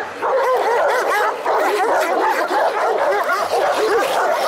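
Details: Šarplaninac dogs at a special breed dog show in Smederevska Palanka, 25 March 2012: dense, overlapping barks from several dogs, loud and continuous, with short yips mixed in.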